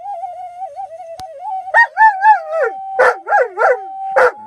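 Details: Singing Alaskan Malamute gives quick bouncing woo-woo notes rising and falling in pitch, several per second, after a thin wavering tone, with a steady held note running through.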